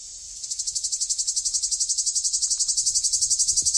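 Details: Summer cicadas giving a shrill, high buzzing drone that swells into rapid pulses, roughly four throbs per second, with faint low rumbling beneath.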